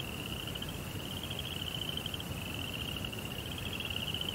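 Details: High, unbroken pulsing trill of crickets singing at night in a Japanese Zen garden with a koi pond, the pitch level and the rhythm even, set against a dull low rumble.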